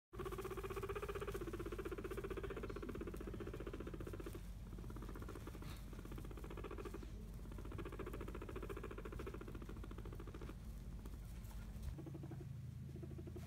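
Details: Hairless skinny guinea pig females, kept together, rumble strutting as a dominance display meaning "back off, this is mine", a possible start of a fight; a low, steady, rapidly pulsing rumble continuing throughout, with faint higher squeaks and indoor room tone.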